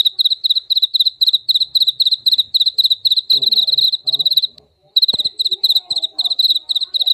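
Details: A jaliteng cricket chirps loudly and steadily in short, high, pulsed bursts, about two each second.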